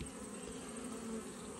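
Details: Honey bees humming steadily inside an open hive during an autumn inspection, as frames of brood and pollen are checked; an even, low droning buzz holds throughout the short stretch with no other sounds.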